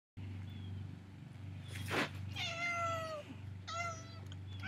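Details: Domestic cat crying because it wants to go out, giving two drawn-out harmonic meows, the second shorter, over a steady low indoor hum with a brief rustling noise between the calls.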